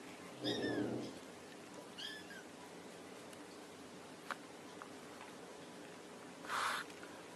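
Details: Domestic cat calling its kittens indoors: a soft low murmur followed by two short, high, downward-sliding mews about a second and a half apart, then a brief rustling burst near the end, over a steady quiet hiss.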